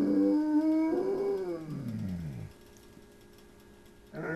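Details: Phobey, a 100-pound baritone-voiced dog whom flutes, ambulances and coyotes set off, gives a mournful howl that swells slightly, then slides steadily downward and fades, followed by quiet room noise and a faint new note.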